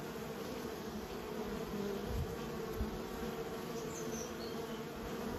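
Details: Kept honey bees being raised, giving a dense, steady droning hum with layered low tones, continuous for several seconds with slight swells in loudness around the middle.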